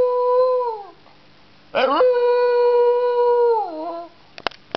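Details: A Staffordshire Bull Terrier crossed with a Jack Russell "talks" in two drawn-out, steady howls, the first about a second long, the second nearly two seconds, each ending in a falling waver; a few clicks follow.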